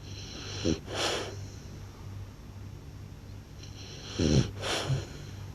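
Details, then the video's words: Sleeping blue French Bulldog snores loudly, two full breath cycles roughly three and a half seconds apart: a short, low snorting rumble on the intake, then a breathy, whistling wheeze. A faint constant hum runs throughout. "หมากรนลั่นสะท้านบ้าน/French Blue Dog Snores Loud"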